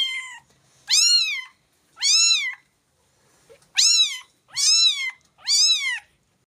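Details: Stray cat soaked by the rain meowing: five loud, high, arched meows with rich harmonics, each about half a second long and spaced roughly a second apart, plus a faint shorter call at the start, in otherwise quiet surroundings.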